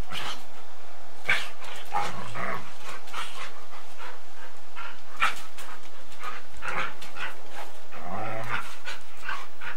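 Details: Golden Retriever and Samoyed playing bitey face and chasing each other, old 8mm tape recording; low rumbling growls and scuffling play noises with occasional short yips through the clip.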